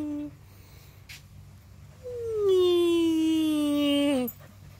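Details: Husky playing with a bird, letting out a long drawn-out howling whine that starts high and slowly slides downward over about two seconds, with a low background hum.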